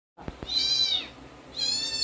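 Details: Siberian Husky indoors reacting to played dog sounds: two soft taps, then a high, drawn-out whine that arches up and falls, followed by a second rising whine.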